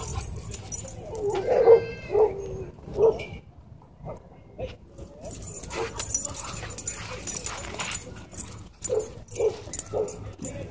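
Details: Small white dog launching at and biting a German Shepherd during a fight at a dog park; sharp harmonic yelps and barks cluster in the first three seconds, followed by scuffling, scattered yips and noisy outdoor background.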